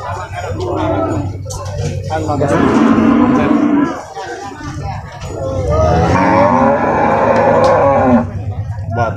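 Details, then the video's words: At the Purwakarta livestock market in Indonesia, where cattle and buffalo are loaded and unloaded, Limousin cattle give two long, wavering moos, one mid-clip and one near the end, mixed with human voices and background music. "Sapi Limosin Betina"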